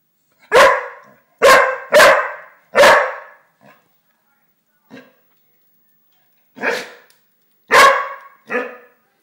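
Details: An English springer spaniel barks loudly on a fireplace in short, sharp bursts, some in quick pairs, with uneven pauses.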